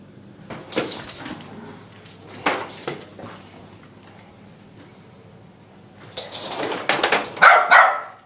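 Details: Lhasa Apso x Maltese youngster, around ten months, barking at a vacuum cleaner; a couple of isolated barks early, then a rapid flurry of yaps and a whiny note at the end, vacuum motor humming throughout.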